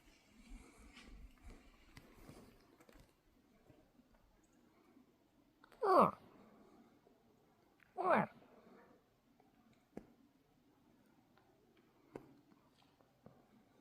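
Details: Two bull moose in Kenai, Alaska, call: two short, gruff grunts about two seconds apart against a quiet background.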